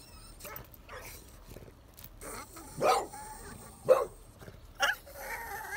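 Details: Small French bulldog guarding a pitbull and a bull terrier, giving three sharp, short barks about a second apart midway, with quieter yelping, whimper-like tones toward the end over faint background noise.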